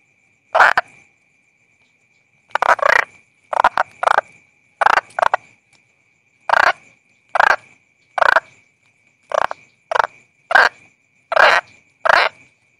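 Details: A calling toad gives short, gritty croaks spaced a second or so apart, some in pairs, with quiet gaps between and a thin constant high whine behind.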